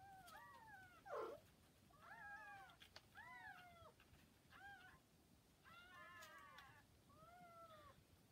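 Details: Kittens around 40 hours after birth, together with their mother: a quick string of thin, high, arching mews, roughly eight cries in eight seconds, some overlapping as several kittens call at once, plus a short rustle.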